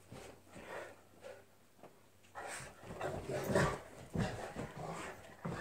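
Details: Two Newfoundland dogs play fighting indoors; rough, low rumbling growls and snarls rise and fall in noisy bursts, growing louder and more intense toward the middle and end, with scuffling mixed in.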